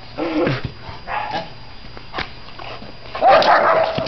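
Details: Eight-month-old Czechoslovakian Wolfdog during training: a short arched yelping bark near the start, a fainter one a second later, then a louder drawn-out strained whining bark at the end, with a man giving commands in Chinese.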